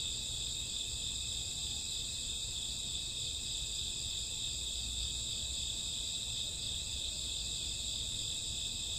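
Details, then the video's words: Crickets chirping through a summer or autumn midnight, an even, continuous high trill in layered bands with no breaks, set over a soft low-frequency rumble. "Cricket sound 2 hours, summer autumn night grassworm lullaby"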